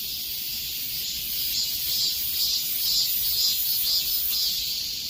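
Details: Summer-heat cicada chorus, a constant shrill buzz swelling gently in rhythmic pulses roughly twice per second, no other noises standing out.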